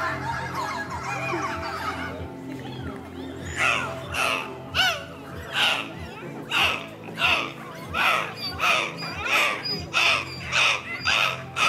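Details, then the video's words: Six dolphins performing at Attica Zoological Park, Greece, on 20 November 2014, give a rapid series of squeaky, buzzy bursts from their blowholes, repeating more than once a second after a spoken introduction in Greek. "ας κάνουμε πάλι λίγο ησυχία και πάμε να ακούσουμε τα δελφίνια μας"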